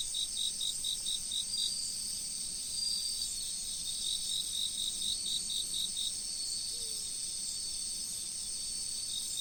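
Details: Autumn riverside insects: shrill steady ringing tones layered with repeated chirp bursts, about four per second, starting and pausing, while a low, gentle river flow murmurs throughout.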